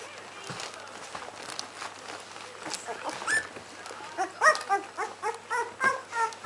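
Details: Two-week-old golden retriever puppies with their mother, on day 14 and now starting to walk. Faint rustling and quiet human speech open the recording, then high squeaky whines and yelps rise and repeat in quick bursts during the last two seconds.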